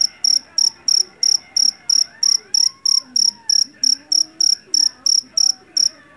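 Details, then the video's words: Field cricket caught in a rice paddy, the Javanese jeliteng type, loud and piercing: bright high chirps repeated roughly every third of a second in an even rhythm, over a soft background of distant speech. "SUARA JANGKRIK PENGUSIR TIKUS SUARA ASLI"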